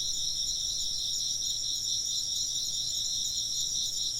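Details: Insects chirping in a dense, steady chorus, with several high, shimmering trilled bands running unbroken throughout and a faint low hum underneath.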